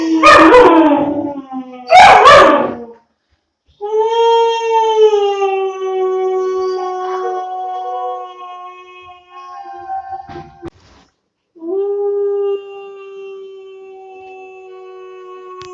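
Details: Two-month-old German Shepherd puppy howling: after two loud, rough voice bursts at the start, long steady tonal howls held for several seconds, level then gently falling, with a brief pause before a final sustained howl.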